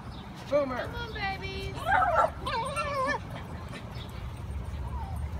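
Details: Five-week-old Patterdale Terrier puppies going through an earth tunnel made from PVC pipe: a few bright, wavering whines and squealing yelps clustered early, fading to a single soft whine over low background noise.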